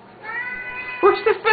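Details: Siamese cat crying for food indoors at feeding time, two pet cats in the house: a long steady meow followed by three loud, short, choppy wails in quick succession.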